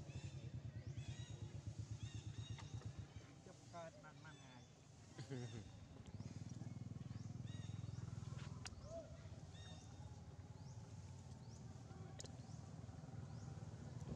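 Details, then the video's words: Baby monkey Jinx cries after being grabbed by its mother Jade: a run of high, harmonic squeals in short bursts around the middle, with thin arching cries scattered throughout, over a steady low engine-like rumble and faint voices. "Poor Little Jinx Crying Following Jade Mom Grabbing"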